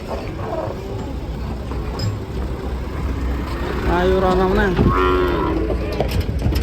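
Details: Cattle acting up while being unloaded from a swaying truck; a low, drawn-out moo swells midway with strong layered harmonics, set against a steady engine rumble and people talking nearby.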